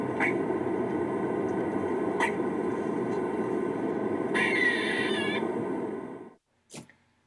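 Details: A female eastern gray squirrel on a college campus answers a played recording of kuks and quaas. She gives sharp, spaced kuk barks, then a drawn-out, buzzy, wavering quaa alarm call, while tail flagging.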